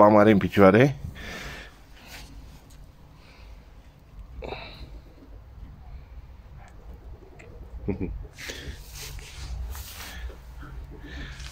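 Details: Newborn male goat kid, named Urechila, first kid born on a homestead, delivered at night to the first-time mother goat Măriuca, an Anglo and Carpathian cross. A loud, wavering bleat opens the recording, followed by quiet sniffs, shuffling and a person talking.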